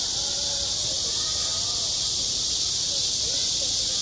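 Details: Midsummer cicada chorus at a school playground, an unbroken buzzy high whine, with faint murmuring voices in the distance.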